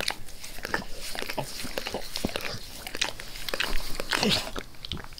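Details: Max, a pet dog, licks his owner's face with zeal indoors in a small room: wet, smacking clicks and slurps come in quick irregular bursts, with a louder sloppy flurry near the end and no talking.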